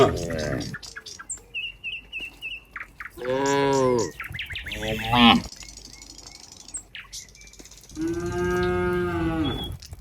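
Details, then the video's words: Several cows in a herd near a countryside barn, a cowherd walking toward it: a short low moo, then two quick moos, a quiet stretch with light chirping birds, and a final long, even moo lasting about two seconds. "the sound of cows"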